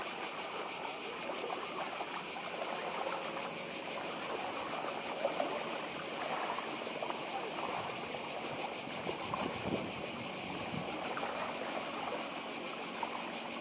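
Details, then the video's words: Unceasing cicada drone from Badija island on the Croatian coast: bright, pulsing, metallic buzzing held at an even level, accompanied by the hushed, continuous wash of the sea. "Cykady i szum morza w Chorwacji. Wyspa Badija"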